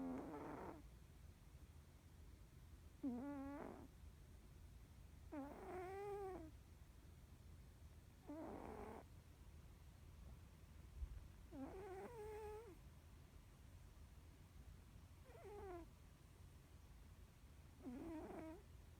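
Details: Norwegian Forest Cat snoring in deep sleep indoors, facial muscles twitching as if dreaming; harmonic, wavering snores return about every three seconds, each under a second long, growing louder over the passage.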